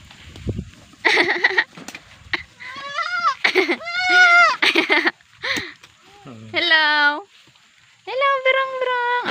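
A young goat bleats repeatedly in high, quavering, nasal cries, with faint human voices in the background.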